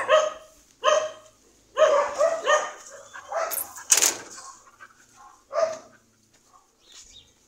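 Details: Sharp single barks and short doubled yaps from a dog, well spaced with quiet between them, plus a brief hiss-like noise burst midway.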